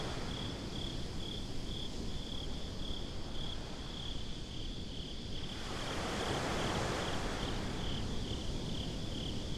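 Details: Beach crickets at night give a continuous string of thin high chirps while ocean waves rumble low and a larger breaker rushes in partway through, lingering to the close.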